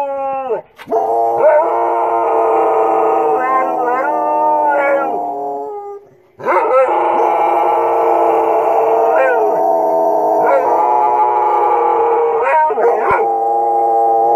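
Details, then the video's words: Australian Shepherds answering coyotes with a chorus of long drawn-out howls, two sustained bouts separated by a brief pause, voices wavering and bending in pitch near the ends. "My Aussies answering the Coyotes"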